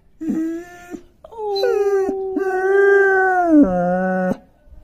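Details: Male long-coat German Shepherd puppy aged five months howls in several linked drawn-out notes, the pitch holding level then dropping lower near the end, with brief breaks between notes.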